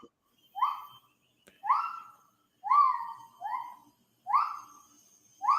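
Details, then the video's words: Wild lar gibbon song from a single lone ape, unseen while calling out: a steady series of six bright hooted notes, roughly one per second, each rising sharply then gliding down, one pair run close together, over an otherwise quiet background. "This is the sound of the lar gibbon in the wild."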